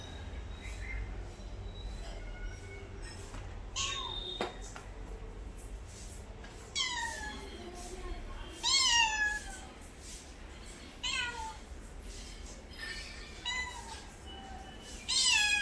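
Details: Pet cat giving a series of meows, short harmonic calls that sweep down in pitch, repeated irregularly every few seconds, with a low steady hum and some speech in the background.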